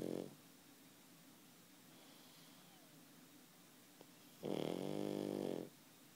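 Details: Sleeping pug snoring indoors: one long, rough, droning snore with a buzzy harmonic tone near the end, after a brief snort at the start, with quiet room hiss between breaths.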